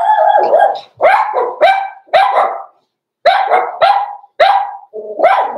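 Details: Blenheim Cavalier King Charles Spaniel puppies, six weeks old, born November 14, 2022, in an indoor pen: a steady run of about eight high, yappy barks, each sharp at the start and trailing off, with short gaps between them.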